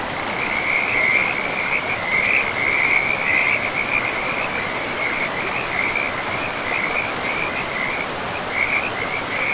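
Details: A frog chorus beside a forest river: high, rattling trills run almost without pause, pulsing in loudness, over a constant broad hiss of moving water.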